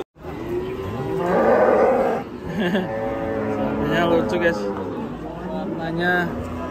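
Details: A cow with leopard-spotted colouring, among cattle raging and running loose: a strong drawn-out moo peaking in the second second, then softer repeated lowing calls with music and a voice behind.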